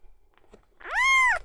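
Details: Miel, a young male red tabby-and-white cat waiting at an animal hospital for seizure tests: one loud, drawn-out meow that rises, holds steady and then falls, with faint clicks before it.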